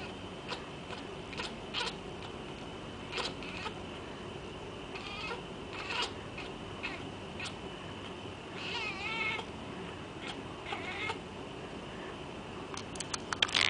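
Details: House cat chattering while watching a laser light toy; scattered rapid clicks and ticking bursts throughout, with one wavering chirped call midway, over a constant faint hum.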